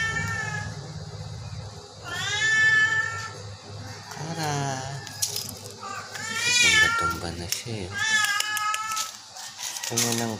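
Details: Sick Persian cat mewing in long, bending, plaintive cries, several in a row, with voices of people talking close by in a small room.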